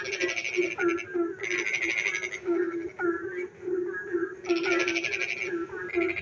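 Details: Frogs calling in the dark on a rainy night near a village: a steady low hum of overlapping croaks beneath loud bursts of rapid, pulsed trilling that start and stop every second or so, with short descending chirps in between.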